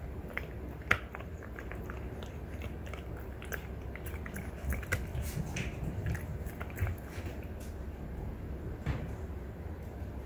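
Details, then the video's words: French Bulldog mother and daughter chewing deer antler in a small room; soft, steady grinding and scraping with occasional sharper clicks, fairly quiet throughout over a low rumbling background. "french bulldog フレンチブルドッグの親子がただ鹿の角を食べるだけの動画！"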